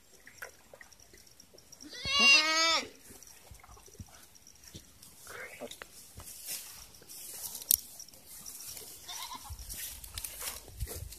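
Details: Farm goat bleating while being given water; one loud wavering bleat of under a second with a tremulous, quavering tone, followed by quieter clicks and faint rustling background noise.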